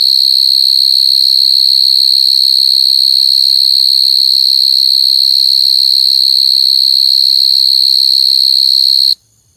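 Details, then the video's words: Steady, piercing trill from coconut crickets (Khmer សត្វចង្រិតដូង) that rings at one high pitch with bright overtones, continuous for about nine seconds before cutting off abruptly into near silence. "Crying coconut crickets សត្វចង្រិតដូងយំ"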